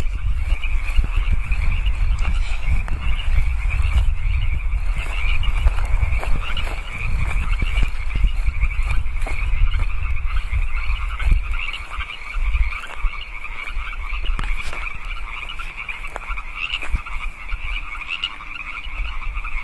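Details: Wild frogs calling at night, 8 PM on 15 March 2014, in California Park: a dense continuous chorus of rapid, trilling calls forms a steady high band, overlaid by heavy low rumbling wind or handling noise and scattered clicks.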